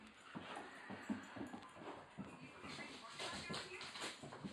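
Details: A hyper Rottweiler at night gives a run of short, breathy whines and whimpers, rising and falling irregularly, while a person talks quietly in the background throughout.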